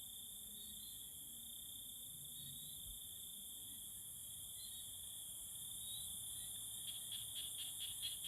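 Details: Courting tree frogs: a rapid train of about six sharp clicked pulses toward the end, over continuous high-pitched insect trilling.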